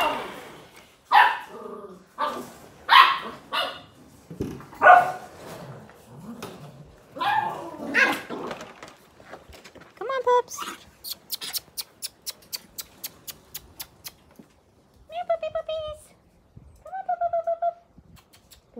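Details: Australian Cattle Dog puppies at play: sharp barks and yips early, then a fast run of clicking taps, followed by two whiny, wavering whimpers near the end.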